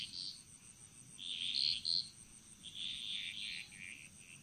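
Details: Frogs singing in chorus in the jungles of Bali: overlapping high, raspy trilled bursts following one another rapidly, with a steady faint high-pitched hiss running underneath.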